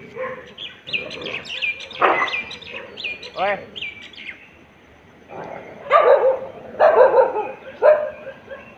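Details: A Tibetan Mastiff gives a short run of loud, harsh barks in a barking face-off with a street dog, with chirping birds earlier.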